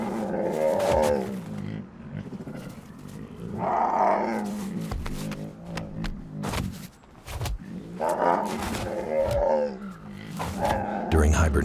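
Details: Brown bears just awake from hibernation growl in deep, rough bursts that come and go over several seconds, in a snowy swamp as the snow begins to melt.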